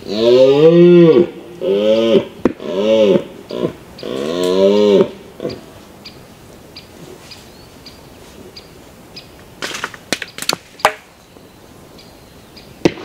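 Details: Mouflon, wild sheep, giving four loud, drawn-out bleats in quick succession, each rich and harmonic with a wavering arch in pitch, over the first five seconds; then quiet with scattered sharp clicks and knocks.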